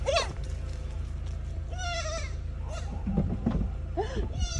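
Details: Female pygmy goat with major separation anxiety, in May 2021 in Brasstown, North Carolina, USA, chases her owner down the driveway, bleating repeatedly in wavering, nasal, screaming cries at being left behind.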